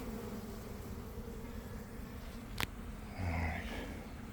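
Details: Honey bee swarm emerging from a hive in a garden around one in the afternoon, after a week of cold, damp weather: a steady, dense low droning hum, a sharp click midway, and a brief faint voice-like murmur near the end.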